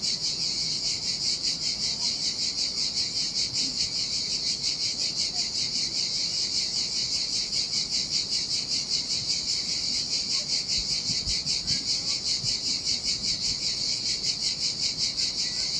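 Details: Sardinian seaside cicadas in the summer heat on a desolate sandy beach produce a relentless high buzzing drone, finely pulsed and steady in loudness across the whole stretch, with a gentle low murmur of surf beneath.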